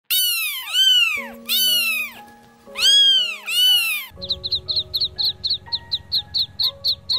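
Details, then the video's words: Domestic cat giving four long, drawn-out meows in the first four seconds, each rising then falling in a smooth arch. Background music plays throughout and continues alone afterward with short, evenly repeated chirpy tones. "Farm animal moments: Cat, Horse, Cow, Monkey, Bear, Kangaroo, Chicken, Pig, Sheep - animal sounds"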